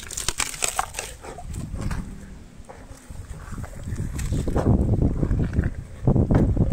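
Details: Elephant named Meri feeding on sugarcane: loud, low crunching and squelching chews come in quick uneven bursts, growing heavier toward the end, with wet snapping sounds of cane breaking.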